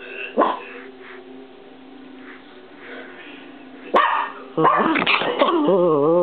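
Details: Peanut, a Chihuahua, attacks and argues with the camera: a single bark, a lull, then a loud burst of snappy barks running into a long, quavering, tonal grumble.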